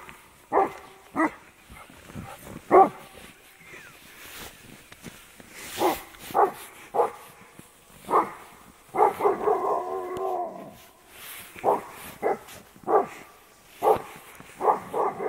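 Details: Alaskan Malamute, badly frightened of horses it takes for 'huge dogs', giving a string of short, sharp, harmonic barks every second or two, with a longer wavering, whining run of sound in the middle; faint background otherwise.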